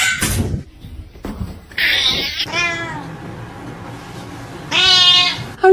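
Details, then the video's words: Domestic cat meowing: a brief harsh squeal, then two drawn-out, wavering, nasal meows a couple of seconds apart, the second louder and higher, with faint background music and a person's voice. "Funny Cats Sound"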